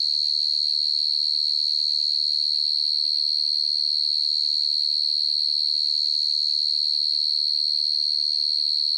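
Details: A field cricket gives a steady, high, ringing trill of rapid chirps that never pauses, heard at night.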